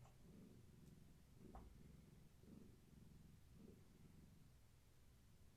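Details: One of Gaia's kittens, from a long-haired tabby mother, purring while being massaged on an evening indoors; soft throbbing purr with clear breathing pulses roughly every half second, otherwise quiet.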